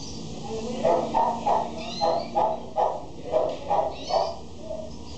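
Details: Male Shih Tzu dog in Mexico giving a run of short, high yapping barks, roughly three per second with uneven spacing, over a steady background hum.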